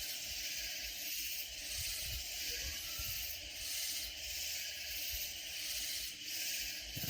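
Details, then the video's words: Loud katydid chorus in Texas Hill Country near San Antonio: a high, raspy shimmering drone pulsing in gentle surges about every second and a half, over faint low rumble. "Sounds of Loud Katydid Insects"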